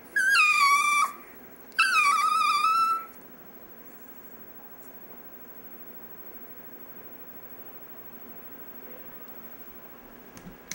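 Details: Dexter, a pet chihuahua, "singing" in a small room: two long whining howls, each about a second, the second sliding downward, followed by quiet room noise for the remaining seconds.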